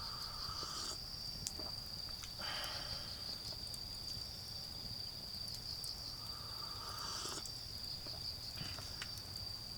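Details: Garden autumn insects singing during a backyard campfire: a constant piercing high trill runs throughout, joined by intermittent lower buzzy bursts that come and go, with occasional sharp fire pops and a low rumble.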